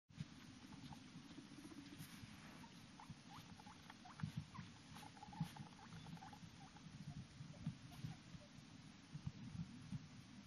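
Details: A guinea pig with freshly trimmed rear fur gives soft, brief squeaks and chirrups over low rustling and padding footsteps as it walks into a kotatsu (heated table).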